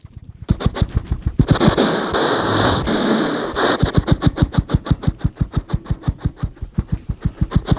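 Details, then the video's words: Hedgehog that ran onto a lawn, snorting, recorded on a RODE NTG 3 microphone: steady low puffing pulses about three per second, broken midway by a longer rough breathy burst, then regular huffs resume. "Ёжик фыркает и жуёт / Hedgehog snorts and chewing"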